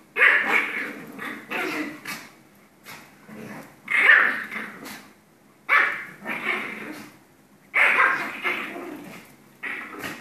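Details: Two Pomeranians playing and play-fighting: bursts of growling and yappy barks, each lasting about a second, recurring every one to two seconds with short quiet gaps.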